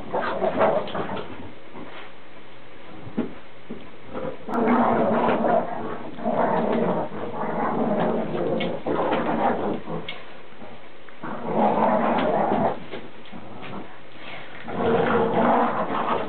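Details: Two Boston Terriers growling during a tug-of-war game over an old towel, a continuous rough rumbling growl that swells into louder bursts around the middle and end, with scuffling noises throughout.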